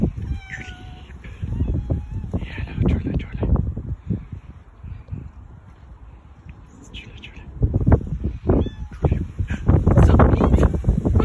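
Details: Domestic cats, five of them together, meowing: short harmonic meows early on and again near the end, some sliding downward, mixed with loud thumps, rustling and low background noise.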